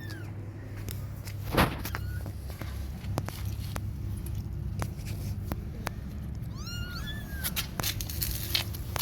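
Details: Baby cats cry to their mother, who at first ignores them, asking for milk; one brief mew early, then a cluster of high, bowed cries near the end over a low hum and scattered clicks.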